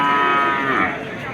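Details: Bull cattle at a livestock market, offered as farm stock: one loud, drawn-out moo with rich harmonics that slowly sinks in pitch, with faint market voices behind.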